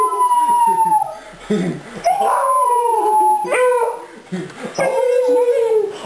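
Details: Three Beagles, a mother and her two offspring, howl at home as their owner arrives and joins in; long sliding tones falling from high to lower pitch, broken by short wavering yelps and breathy gaps.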